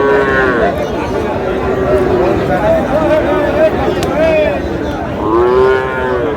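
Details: At Dinajpur's Raniganj cattle market, where Friesian and cross-breed bull calves are sold on 30 July, two moos bracket the recording, one at the start and a louder arched one near the end, over steady crowd noise and voices.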